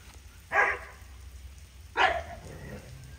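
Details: Large dogs on an outdoor spa day on a hot summer day, getting baths outside and being brushed. Two short, harsh barks about one and a half seconds apart over a soft, steady background hiss.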